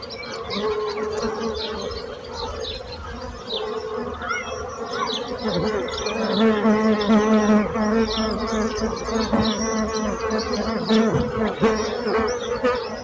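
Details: Bees buzzing in a steady, dense drone with a low hum and a brighter overtone layered above, swelling louder in the second half, while faint high chirps flicker throughout.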